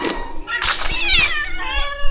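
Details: Shelter rescue cats at feeding time: short, overlapping meows rising and falling over a woman's soothing murmurs and rustling.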